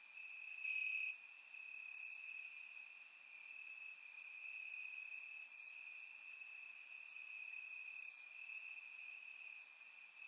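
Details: Crickets in grass at night during a warm summer in Bulgaria, recorded in surround sound: a faint steady high trill with scattered bright, crisp chirp bursts popping out over it.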